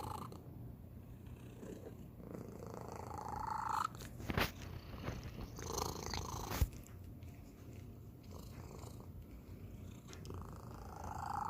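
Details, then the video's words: Domestic cat, the youngest of the household, purring unusually indoors; a steady low rumble with breathy swells, interrupted by a few sharp clicks or knocks. "고양이 골골송 / Cat purr"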